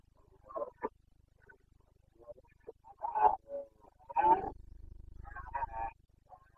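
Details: Carpathian red deer stag roaring in the Bucovina mountains of Romania during the breeding season, 29 September 2022: three rough, harmonic bursts come at irregular intervals, with shorter faint grunts between them and a low hum under the end.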